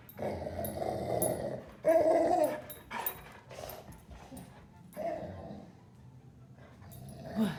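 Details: Excited Golden Retriever greeting its owner indoors, giving long, low, drawn-out groaning grumbles that swell and fade in waves, with short whimpery notes and a faint squeak near the end.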